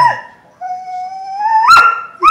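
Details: Doberman Pinscher in a home where an older female Doberman slowly eats her food to tease seven-month-old Luna. A long, clear, tonal whine starts steady, then rises and ends with a sharper yelp. A person speaks before it.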